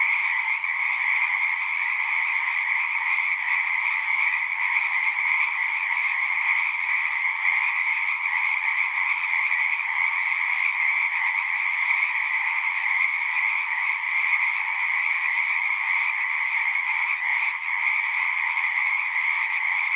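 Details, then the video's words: Singing frogs in a natural setting, a dense chorus of overlapping trills forming a steady, shimmering wall of sound in two bright bands, one higher and one lower, unbroken across twenty seconds with no other sounds standing out. "One hour of singing frogs."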